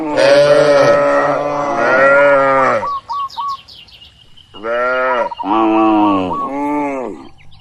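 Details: Tame cattle grazing freely in open fields: a long drawn-out low moo, then a quiet gap with small bird chirps, followed by three shorter wavering moos in quick succession.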